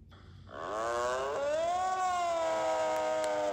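A deer gives a long, nasal, moaning call that rises and then holds steady.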